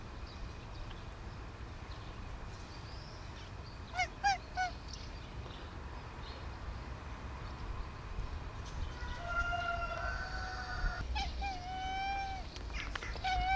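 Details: Sweet Bun, a house cat, calls repeatedly to an owner who does not grasp her: brief chirping meows, then a sustained, steady meow, and finally several quick, rising meows in a row over faint hum.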